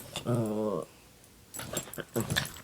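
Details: A Pomeranian-Welsh Corgi mix dog (Canis familiaris) gives a brief, low, tonal moan, followed by people talking.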